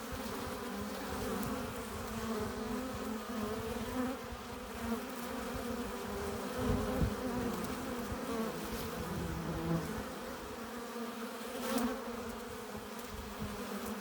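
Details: Honey bees at a hive entrance, bringing in pollen and nectar: a steady, dense buzzing drone with bands around 200–500 and low hum, occasional louder passes as single bees fly close, continuous throughout.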